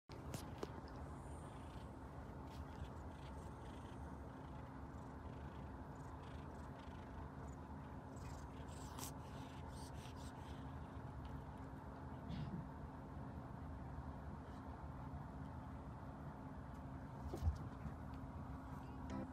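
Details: Kitten purring loudly with happiness while its owner strokes it and its older sister cats, including a tabby, relax beside it; a continuous low rumbling purr runs throughout, with a steady faint hum and occasional soft clicks and rustles.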